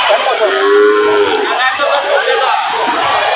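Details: Sahiwal bull calf at a cattle market in Bangladesh, recorded 14 July 2025; a short, steady mid-pitched moo in the first second and a half, masked by loud crowd chatter and market noise throughout.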